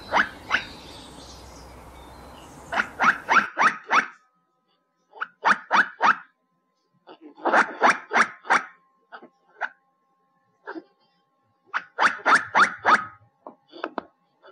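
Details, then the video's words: Repeated harsh chattering barks from a squirrel, grouped in rapid runs of four to six notes with short silences between, some quieter isolated chucks. "Tiếng kêu của con Sóc || The sound and picture of the Squirrel"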